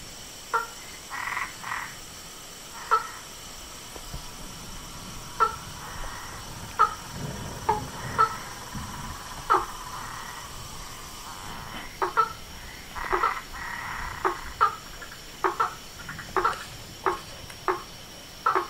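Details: Frogs and toads calling in a natural soundscape: short, sharp croaks and clicks repeated irregularly, often in quick pairs, over a steady faint background hiss.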